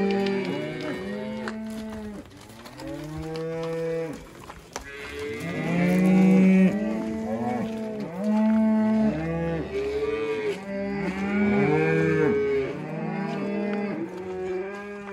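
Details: Red Angus cross cows with calves; a near-continuous chorus of overlapping moos, deep and higher voices mixed, swelling and fading over fifteen seconds.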